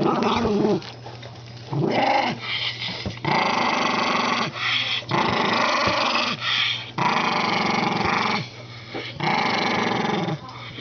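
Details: An old Toy Poodle, said to be getting senile, growls continuously in rough rumbling bursts of about one to two seconds, repeated with brief pauses, in a small room.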